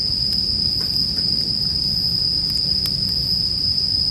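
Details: Bell cricket song forms an unbroken, shrill, bell-like ringing tone. Scattered wood crackles from a burning fire and a soft low rumble sit beneath it.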